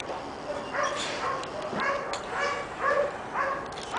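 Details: Pepper and salt Giant Schnauzer puppy Shiva, six months old, makes soft whimpering and yipping sounds at irregular intervals, thin whine-like tones rising and falling over a quiet indoor background.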